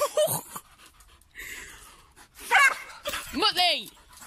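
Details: Playful sprocker spaniel barking while leaping at bubbles: a quick bark early on, then a burst of loud, sharp barks ending in a strong, falling yelp-like bark, with a person speaking between them.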